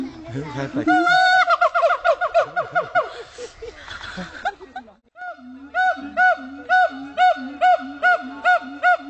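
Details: A siamang (Symphalangus syndactylus) at Dubbo Zoo, New South Wales, howls in loud, ringing whoops: first a rapid rising run, then steady arched calls.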